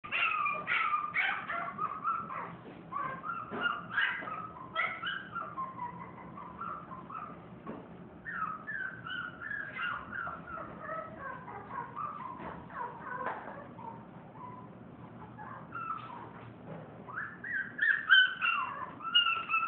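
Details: French Bulldog in a pet shop; rapid high whimpers and yips repeated about three times a second, wavering and squeaky throughout, fairly faint with some background noise.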